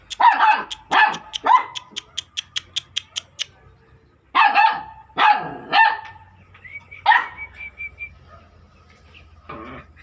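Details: Repeated dog barks come in short bursts, three quick ones, then a fast string of ticking clicks, then three more barks and a higher squeaky yelp, with low rumbling underneath.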